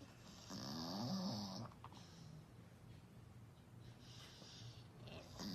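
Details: English Bull Terrier snoring indoors: one long, wheezy, rasping snore with a faint whistled tone lasting about a second, followed by quieter raspy breaths and a second soft wheeze near the end.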